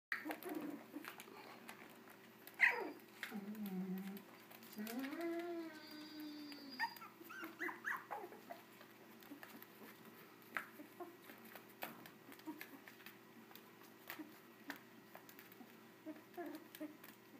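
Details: Puppies 24 days old make soft whining squeals, a few rising and falling drawn-out cries in the first seconds, then scattered quiet snuffles and clicks in a small room.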